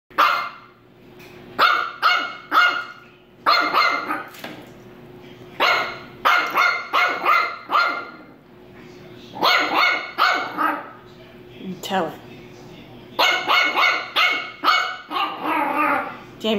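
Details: A female French Bulldog puppy gives bursts of sharp, raspy barks in quick clusters at her doorbell, which she rings to go out, demanding treats when it gives none.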